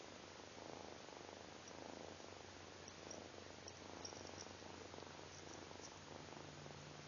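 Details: A Siamese mix kitten purrs while petting a chihuahua, a continuous rumbling purr pulsing louder and softer about once a second with its breathing, over a faint steady hum.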